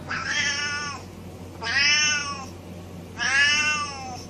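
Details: Domestic cat meowing incessantly: three drawn-out, nasal meows about a second long each, spaced roughly every one and a half seconds, each rising then sliding down in pitch, over a faint low background hum.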